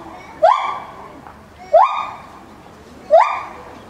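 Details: An 8-year-old male white-handed (lar) gibbon at Maruyama Zoo, recorded September 2013 after moving to the ape house, gives loud hoots that swoop upward, then ring steadily, about every 1.5 seconds, carrying far.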